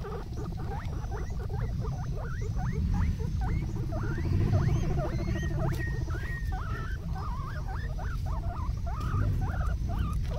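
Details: A group of guinea pigs playing in a garden, giving short rising squeaks in quick, uneven succession, several overlapping at times, over a steady low rumbling background noise.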